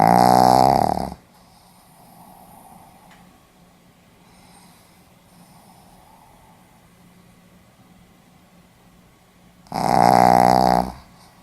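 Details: Sleeping Pomeranian dog, recorded 4 November 2015, gives two loud rasping snores, one at the start and one near the end, each about a second long with a buzzy pulsing tone, separated by quiet room hush.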